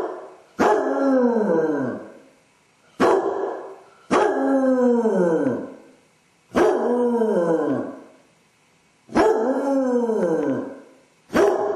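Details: Basset Hound left alone at home with separation anxiety, howling and whining for an hour; long mournful howls that slide downward, repeated every two to three seconds with short silent gaps.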